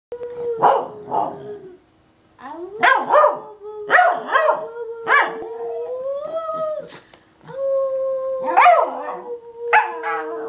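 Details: A Pembroke Welsh Corgi sings along with his owner, howling in long, steady tones that slide upward, broken by short yipping bursts.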